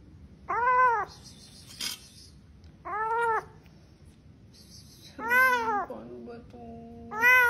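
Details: Domestic cat meowing indoors, four drawn-out, arching meows spaced a couple of seconds apart, each rising then falling, with a brief low trailing tone and faint high clicks between them.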